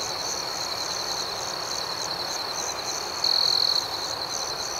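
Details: Crickets chirping after dark: a steady high trill with a rhythmic pulsing upper layer, then one louder half-second buzzy burst toward the end.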